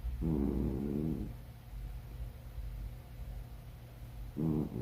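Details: A domestic cat snoring: a rasping, harmonic inhalation lasting about a second, then a quiet stretch of three seconds before the next snore begins; a low, steady hum in the background.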